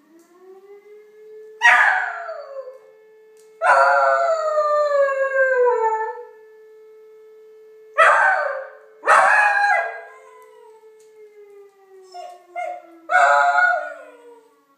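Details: A beagle howls and yelps in long, falling, wavering cries in response to a steady distant siren tone.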